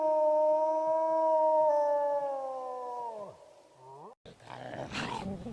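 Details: Wolf living free on the steppe holds a steady, even howl that slides downward and breaks into a falling, wavering tail. It cuts to a brief gap, followed by rustling, scuffling noise.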